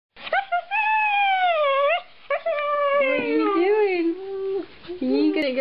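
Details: Husky indoors 'talking' with its owner about going upstairs: long wavering howl-like vocal tones that rise and fall, broken into several phrases, with the owner's voice asking whether it wants to go upstairs.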